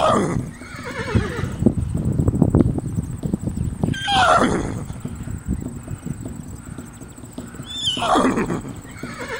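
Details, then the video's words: Horses in a fight: two shrill, descending whinnies about four seconds apart over heavy trampling, hoof thuds and scuffling, with a steady high hiss in the background. "Horse VS Horse Wild Fight"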